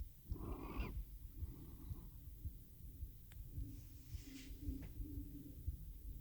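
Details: Teo, a house cat, purrs close to a RODE NTG-3 mic recorded on a Zoom H6 as he drifts off to sleep; a low throbbing purr after one raspy inhale, with a soft, faint hum and a few small clicks later.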